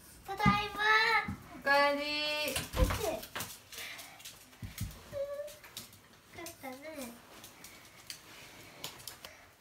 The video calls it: 【普段の動画】２匹のチワワが引き離された！不安な時の甘え声！BGMなしイヤフォンおすすめ！可愛いチワワ おもしろ動物❤︎きらりゆう❤︎